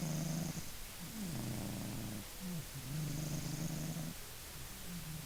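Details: Maine Coon named Funya snoring in its sleep: low, rough, droning breaths with a nasal hum, each lasting about a second and repeating steadily, some rising then dipping in pitch.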